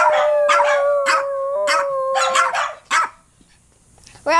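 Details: Dog howl, played to set off other dogs: one long, steady, slightly wavering tone held for almost three seconds, with sharp repeated clap-like bursts over it, then a short rising yelp after a brief pause.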